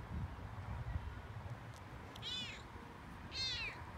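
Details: Frodo, a Toyger cat, talking excitedly on a walk outdoors: two short high meows with rising-falling harmonics near the end, separated by about a second, over low rumbling background noise.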